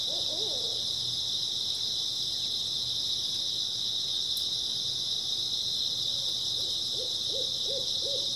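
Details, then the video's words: Early autumn night chorus of grass insects, an unbroken shrill buzzing trill, joined by a few low hooting notes near the start and a run of evenly spaced hoots toward the end. "초가을 밤부터 새벽까지 백색소음 풀벌레 소리"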